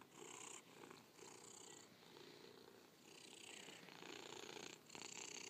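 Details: A cat purring close up: a rough, buzzing rumble that rises and falls in breath-long waves, each lasting about a second, with short quiet dips between inhale and exhale.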